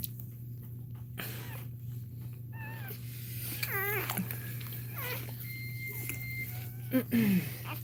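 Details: Indoors during a litter's labour, a Cane Corso cries in short, wavering whines, a few close together and then a lower squeak near the end, with a constant low hum behind them.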